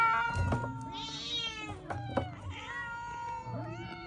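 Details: Domestic cat meowing: a few short, arched, tonal meows with bright harmonics, one rising near the end, over a low background hum and faint music.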